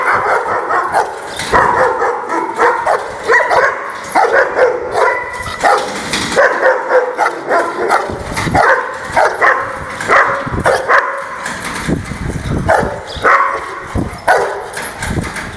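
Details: An angry Rottweiler sounds off in a steady stream of harsh, throaty barks mixed with rough growling yelps, the bursts coming in quick, uneven succession with hardly any pause.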